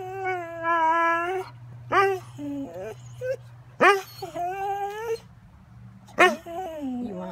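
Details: A Catahoula dog whining and talking back while begging for breakfast: long, steady, harmonic whines, then short rising yelps and wavering moans, with a man speaking to it between sounds.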